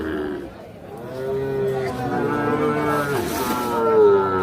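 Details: Calf at a livestock market calling with several sustained, slightly wavering moos that strengthen toward the end, over crowd chatter and faint music.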